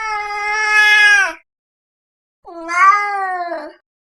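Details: Two loud, sustained cat meows, the first long and level, the second rising then falling with a rough ending, separated by a one-second pause.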